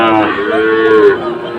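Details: Sahiwal breed bull calf at a Comilla cattle market, Bangladesh, in August 2024: a single close, drawn-out harmonic moo lasting about a second, holding a fairly level pitch before trailing off into softer lowing.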